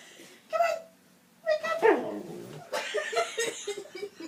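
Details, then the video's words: Persistent husky protecting its owner indoors: short harmonic bark-like yelps with a rising-falling whine near the middle, followed by loud human laughter and chatter in a small room. "Хаски Защищает Хозяина/Husky Protect Host"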